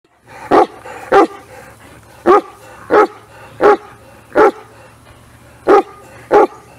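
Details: Irish Wolfhound, a giant wire-haired breed from the greyhound group, bred to hunt wolves and now kept mostly as a companion, giving eight deep, resonant barks at uneven intervals over a quiet low hum.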